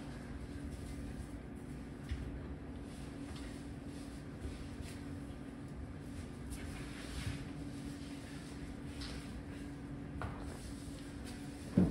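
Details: Quiet indoor room tone with a steady electrical hum, soft rustles and a short knock at the very end.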